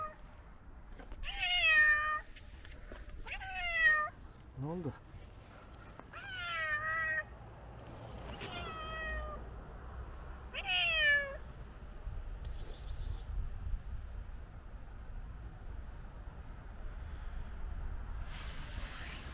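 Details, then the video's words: An old male tabby cat, very hungry, cries on a snowy day with loud, drawn-out meows that fall in pitch, repeated every couple of seconds. "Old tabby cat crying on a snowy day because he is very hungry"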